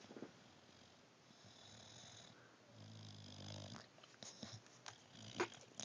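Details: Chubs, an English bulldog, asleep indoors and hard to wake, snoring: one long, low, rumbling snore swells in the middle, then fades into soft breathing with a few small clicks and rustles.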